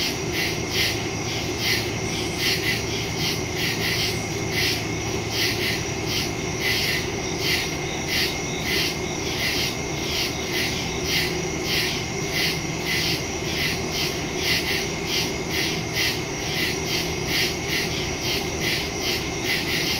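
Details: Night chorus of crickets in woodland, recorded on September 2, 2023 with a smartphone and stereo microphone; several insects give rapid, evenly spaced shrill chirps in a continuous rhythm, with a faint low rumble underneath.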